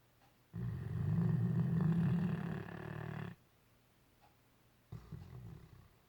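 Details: Great Dane snoring in its sleep while dreaming; one long rough, low-pitched snore nearly three seconds long, a quiet pause, then a brief softer snort.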